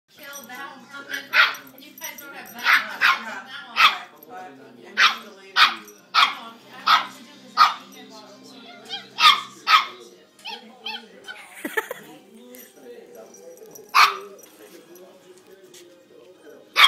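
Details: Female pet dog barking because the household cat won't play with her, with meow-like noises of her own between barks; about fifteen sharp, high barks in irregular bursts, then a person speaking near the end.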